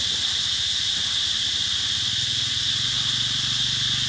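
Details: Cicadas heralding summer at Mỹ Luôn in 2021, their massed high-pitched whirring constant and dense, while a faint low droning tone runs beneath it.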